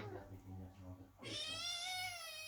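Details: Kitten meowing under the door while the mother cat Chloe gives birth, the household cats waiting anxiously: one long, loud, clear meow that holds steady and then dips slightly, preceded by a low, murmuring voice in a small room.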